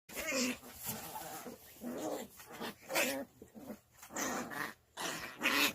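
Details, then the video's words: Two puppy sisters play-fighting indoors: bursts of rough growls and yelps rising and falling, several short snarling outbursts over six seconds in a small room. "자매강아지들 육탄전 sisters hand to hand fight"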